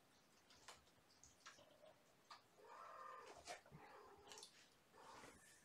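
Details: Kittens, part of a litter of five born April 14th to mother Gamora, at bedtime play indoors; several drawn-out, wavering mews in the middle and near the end, over a background of rustling and small knocks.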